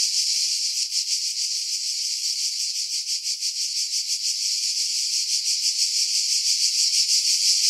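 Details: Cicada chorus from pine woods above Pefkos Bay on Skiros, Greece, July 2018, recorded with a Sony RX3 and external mic; steady shrill rasping drone with rapid rhythmic pulses, wind noise filtered out.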